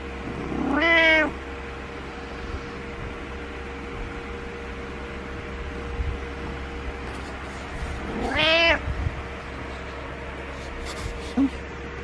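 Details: Morning wake-up meowing by a house cat that dislikes being alone and jumps onto the bed: two harsh, drawn-out meows about seven seconds apart, a tiny chirp near the end, steady hum throughout.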